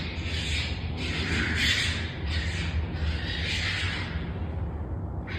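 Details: A wild raccoon in the woods gives harsh, raspy screeching calls in a series of loud bursts over a low rumble.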